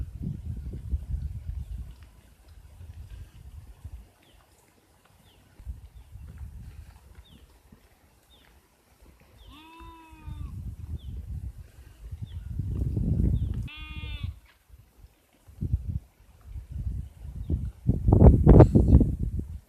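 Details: Sheep giving two short, quavering, nasal bleats about four seconds apart near the middle, set against heavy low rumbling noise, like wind or handling, with faint ticking sounds between.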